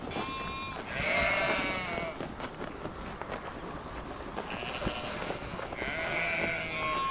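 Two drawn-out, wavering sheep bleats, rich and nasal, heard over steady background noise.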